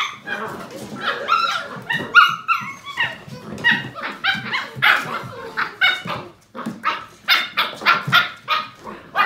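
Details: Litter of 7-week-old Portuguese Water Dog puppies at play, giving a dense run of shrill yips, squeaky whines and short barks, overlapping and irregular, with a human voice possibly mixed in.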